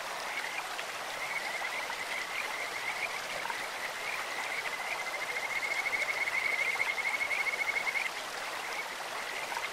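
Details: Kajika frogs in a clear stream give a long, steady trill of quick, high, whistling pulses that builds and stays loud for several seconds before fading, over a constant background of flowing water.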